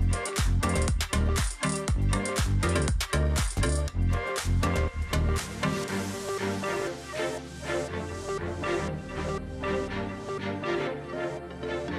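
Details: Upbeat electronic dance music with a heavy pounding beat fills the recording, and no animal sounds are heard.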